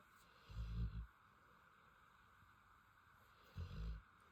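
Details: A sleeping female Rottweiler snores with two deep, rumbling breaths about three seconds apart.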